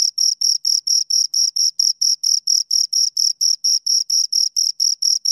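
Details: Two crickets chirping steadily: a high, shrill pulsed trill of about four evenly spaced chirps per second, each with a bright overtone above, against a silent background with no other sounds.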